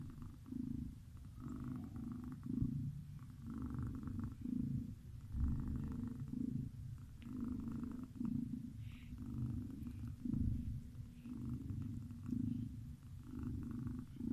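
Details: A cat asleep and snoring, its deep rumbling in- and out-breaths repeating at a steady, unhurried pace over fourteen seconds, with occasional faint nasal whistles and no other clear sounds.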